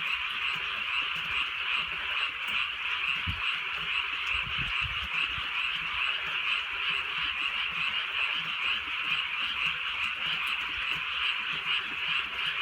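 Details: Frog chorus on a drizzly countryside night, unbroken raspy croaking in rapid regular pulses around two per second, with occasional low drops of rain tapping nearby.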